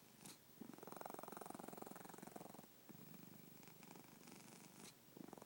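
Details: Sleeping pet cat snoring indoors: a steady, fast pulsing rumble running in stretches of about two seconds, broken by short quiet gaps for breath.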